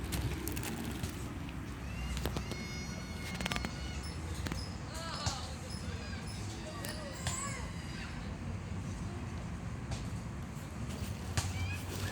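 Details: Hungry stray cats living on the street meow for food: several short, arched, rising-then-falling meows scattered through the clip over a steady low urban rumble, with sharp clicks and taps early on.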